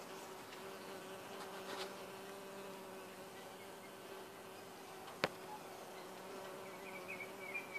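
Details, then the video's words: Bumblebee drinking nectar from ginger flowers, a steady low droning buzz holding a constant pitch throughout, with a sharp click near the middle and faint background rustling. "Bumble bee"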